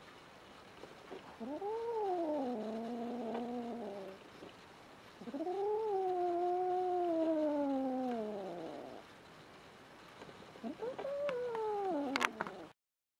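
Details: Adopted female kitten Rin, under a year old, warns off Tama, the household's resident male cat, in 2016. Three wavering, moaning yowls swell and fall; the last is shorter, and it ends with a sharp rustle.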